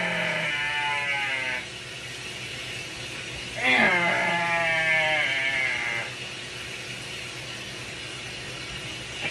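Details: Binturong. Two long, nasal wails from a binturong, the first about a second and a half and the second longer, each bleat-like and slightly wavering. A steady background hiss runs underneath.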